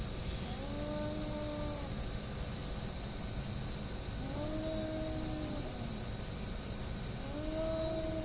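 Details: Hostile cats squaring off: three sustained, even-pitched yowls, each slightly rising at the start, separated by pauses of two to three seconds, over a persistent low hum.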